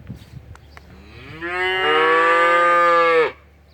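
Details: A single long moo from young Simmental cattle. It swells in after faint background knocks, holds a steady harmonic tone for about two seconds and then cuts off abruptly. A low hum sits beneath it.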